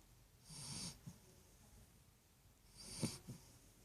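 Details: Sleeping Great Dane puppy snoring, two breathy snorts about two seconds apart, each a low rattling rumble with a soft airy hiss, in a quiet small room.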